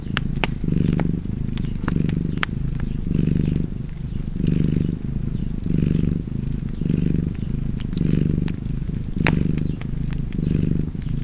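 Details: Low, vibrating cat purr rising and falling in slower breathing cycles about every one and a half seconds, while a crackling fireplace adds frequent dry snaps and pops.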